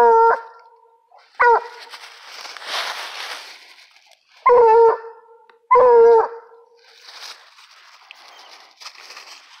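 A Treeing Walker Coonhound bays in loud, bell-like notes that break sharply and hold briefly before fading, some given in quick pairs. Soft rustling or wind-like hiss fills the gaps between calls.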